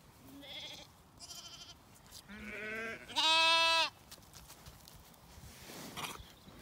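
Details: Zwartbles lambs on a regenerative farm in County Kilkenny, Ireland, calling in the evening while the ewes eat a meal; several wavering, harmonic-rich bleats, the loudest a long quavering one near the middle, with softer farm background noise.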